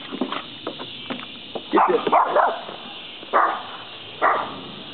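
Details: At the woods' edge, Doodle the little dog barks to chase a deer away: a few soft yips first, then a burst of rapid barks in the middle, followed by two strong single barks spaced about a second apart.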